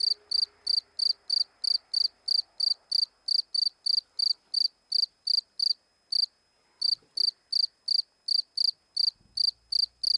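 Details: Steady run of high, sharp cricket chirps, close to three each second, near-regular apart from one brief break, with faint low rumbles and a soft voice in the background.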